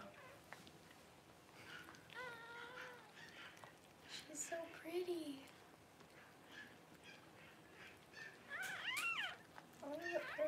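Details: Newborn Cavalier King Charles Spaniel puppies, among the first born as their mother Paris whelps at home: thin, wavering harmonic squeals in short bursts around two, five and nine seconds, separated by quieter gaps.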